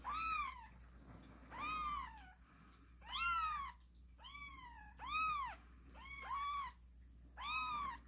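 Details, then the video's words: Kittens crying with spirit, giving six clear, drawn-out meows that rise and fall, spaced about a second or more apart, one pair overlapping, over a quiet low background hum. "씩씩하게 우는 새끼고양이들, 제법 고양이 소리가 나는거같죠?"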